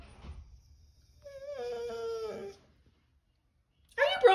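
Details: Upside-down husky talking: a wavering whiny moan of about a second, sliding downward at its close, then silence before a person speaks.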